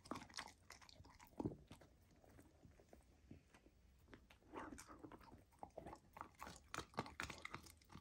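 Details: Golden retriever puppy Lilo gnawing raw lamb for her first taste of it, a steady run of moist chewing, biting and crunching with clusters of louder crunches toward the end, all in a small indoor room.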